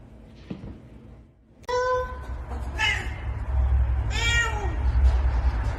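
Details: Domestic cat meowing indoors: after a quiet start, three drawn-out, tonal meows rise and fall over about three seconds, spaced roughly a second apart, with a steady low rumble underneath.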